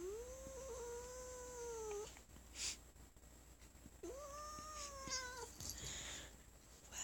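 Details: Sonora, a house cat on her owner's lap, objects to being petted after the owner coughed: two drawn-out tonal yowling growls, each about one and a half seconds, rising then holding steady, with a brief click between.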